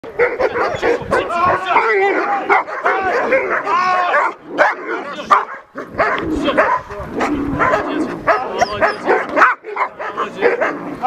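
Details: German Shepherd during its first run in protection service training with a decoy, at a Belarusian sport dog-training club. Loud, harsh barks come in dense, rapid bursts with short pauses, mixed with men's voices shouting over the dog.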